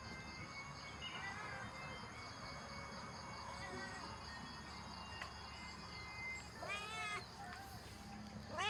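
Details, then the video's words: A female cat gives a short, arching harmonic meow near the end, followed by a brief second call, over a steady background hum and faint tonal noise. "The sound of a cat female sweet and beautiful"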